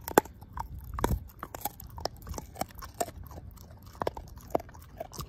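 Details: Ozzie, a pet dog, working through a pork steak bone: separate sharp crunches and cracks roughly every half second over quieter wet mashing, with a strong bite near the first second.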